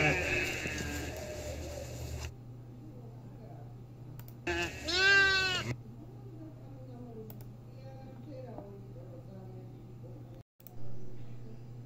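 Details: Goats in the mountains: a noisy opening, then one clear wavering bleat around five seconds, followed by quiet hum with faint distant sounds and a brief louder burst near the end.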